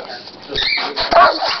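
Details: Troy, a pet dog indoors, excited to go for a walk, lets out a burst of loud, rough barks and yelps close to the microphone, mixed with a person talking to him.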